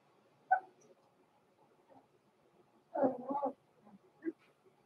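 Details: Blenheim Cavalier King Charles Spaniel puppies, born November 14, 2022, in an indoor puppy pen: a sharp single yip, then a short harmonic burst of rough yelping barks, then one brief squeak, over quiet room background.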